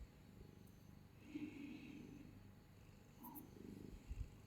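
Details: Domestic cat purring while held close, a low continuous rumble with soft rhythmic pulses, faint higher breathy sounds drifting above, and a brief thump near the end.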